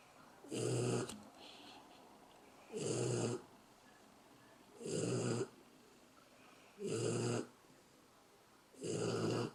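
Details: Steady snoring from a sleeping dog: five rough, throaty breaths in a regular rhythm, one roughly every two seconds, with near silence in between.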